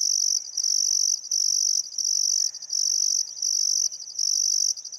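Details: Crickets at a riverside in Welford National Park on the Barcoo River, Outback Queensland, summer sunset with still air: piercing high trills lasting about half a second to a second, split by short pulsed breaks, a few soft bird notes.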